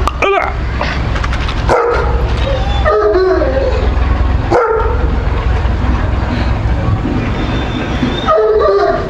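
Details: Pakistani Bully Kutta dog, called Washi Bully, barking in short sharp bursts, about five spread across the stretch at uneven gaps, with a constant low rumble of background noise between them.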